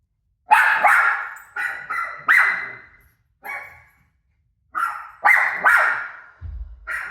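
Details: Rosie, a pet dog, barks at a TV showing her own barking: sharp, echoing barks in quick pairs and triplets with short ringing tails, broken by a pause of about a second and a half, in a quiet room.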